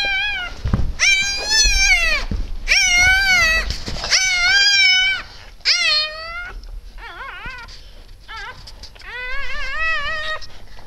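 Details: Indoor recording of a Siberian Husky litter being born on 12 December 2015 near 20:30; mother Shony, daughter of Sheila, assists. Loud, nasal whines repeat about every second, then shorter wavering yelps and squeaks, ending in another sustained whine.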